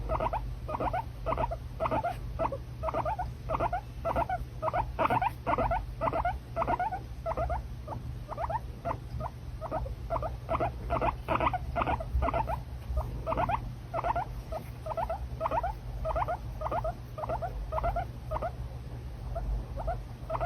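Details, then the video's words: Steady stream of squeaky, chattering calls from a pet guinea pig, bursts packed closely together throughout, low electrical hum underneath. "So Cute Guinea Pig"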